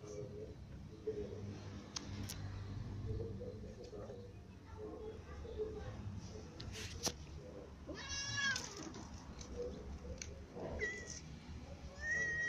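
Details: Cats feeding together, a new white cat, a ginger cat and little cats among them, with a low steady hum and soft clicks of eating, then three clear harmonic meows near the end, the first long and wavering, the next two shorter.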